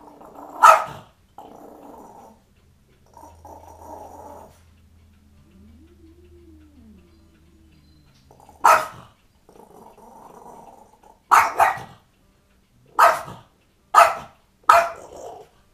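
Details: French Bulldog in a cranky mood, grumbling with low growly rumbles and a drawn-out whining moan, then a string of sharp, clipped barks, the last three coming roughly a second apart.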